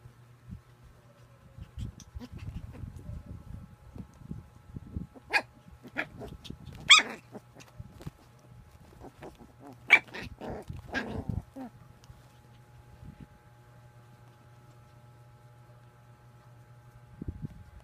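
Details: Playing puppy giving a few short sharp barks and whiny yips scattered over the middle of the recording, with low thumping and handling noise underneath and a faint steady hum throughout.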